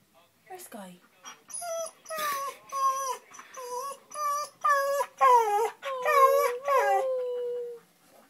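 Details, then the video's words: Jasper, a pet dog crying indoors because Sky won't come out from under the bed; a run of loud, high, wavering whines and yelps, each bending downward, about every half second, ending in a long drawn whine. "Jasper crying"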